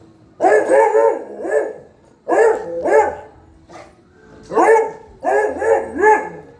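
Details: Household dog barking in quick bursts: a run of three barks, a pair, a soft isolated woof, then three rapid barks, all sharp and rough-edged with brief pauses between groups.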